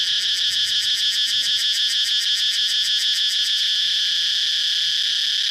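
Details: Cicada singing: a loud, shrill, continuous buzz. For the first few seconds it throbs in rapid regular pulses, then it settles into a steady, unbroken drone.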